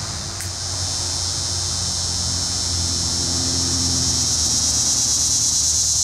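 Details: A Linne's Cicada (Neotibicen linnei) in Cape May County, New Jersey, sings a loud, steady, high buzzing drone that swells slightly over the clip.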